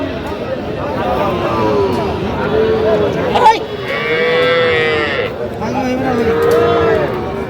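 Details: Young cattle, small bulls and heifer calves, at a cattle market in Kushtia, Bangladesh, on 8 October 2025, with Sahiwal bull calves tagged. Several drawn-out, arching moos rise and fall and overlap across the clip, amid men's bargaining voices and crowd chatter.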